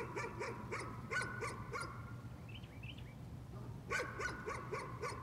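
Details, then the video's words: Persistent nuisance barking from a dog: a string of quick barks, a brief pause with faint higher chirps, then another fast run, over a low steady hum. "Nuisance barking again."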